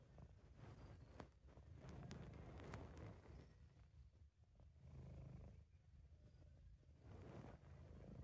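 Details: Purring of a relaxed, happy British Shorthair cat recorded by an amateur: continuous deep rumble with slow loudness waves over eight seconds and a few faint clicks in the middle.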